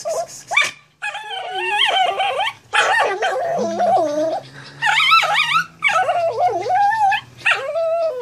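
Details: House dog reacting to a stray cat, making unusual noises: a series of wavering, yodel-like howls and whines, rising and falling in pitch, in bursts of one to two seconds with short breaks between.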